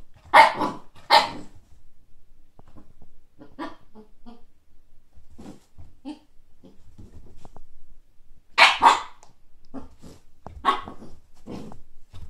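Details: Siberian Husky puppy named Kake, seeing a frisbee for the first time, lets out two sharp barks at the start and two more near the end, with softer grumbling noises and shuffling in between.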